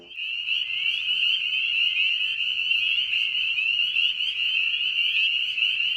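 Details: Spring peeper chorus at a vernal pool backing onto a meadow, early spring: dense overlapping high piping peeps form a continuous shrill wall of sound, with faint lower background noise.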